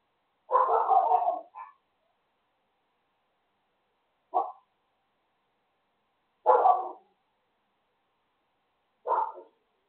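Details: A neighbour's dog barks at 6:27 in the morning: one long ragged burst of barking, then three short single barks spaced two to three seconds apart, against an otherwise silent background.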